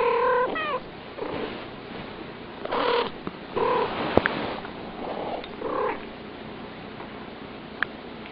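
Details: A pair of cats in back-and-forth chatter, giving short, clipped meows and brief chirping calls in quick succession, with a sharp click partway through and quiet gaps between calls.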